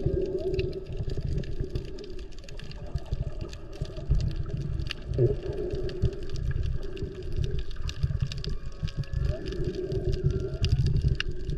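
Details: Underwater recording of humpback whales made while snorkeling off Maui in peak whale season, mostly mothers with calves around. Short rising and falling whistle-like moans and a few higher tonal sweeps sound through heavy water rush and crackle.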